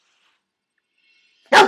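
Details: Bernese Mountain Dog puppy giving one short, sharp bark toward the camera after a long quiet pause, in a home setting.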